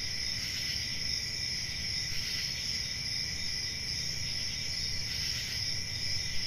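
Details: Summer night in the countryside filled with crickets: constant high-pitched chirping trills from many insects, gently rising and falling in waves, over a soft low background hum.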